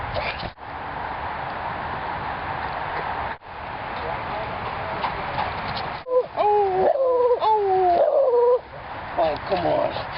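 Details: A visiting beagle from next door sings, watched by Mango the mastiff and Dexter the labrador: wavering, tonal howls that slide downward in a run of about two and a half seconds over a steady background hiss, with people talking.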